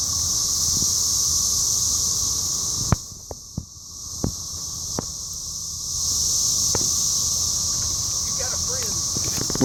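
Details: Cicadas in Cape Girardeau, Missouri, on 4 June 2015, phone-recorded at a Rotary meeting; a shrill, continuous buzzing chorus dips for a few seconds amid sharp clicks and taps, then returns, with brief voices at the end.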